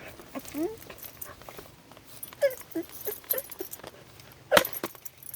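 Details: A red fox trying to get a chipmunk makes short, high, whiny yelps that rise and fall, with a person talking nearby.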